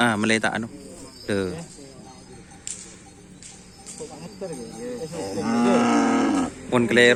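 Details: Cattle, a newly acquired kerapan sapi racing bull tried out on a field at Asemanis: loud, deep harmonic moos, two short ones at the start and a longer drawn-out low call near the end, with people talking and laughing around it.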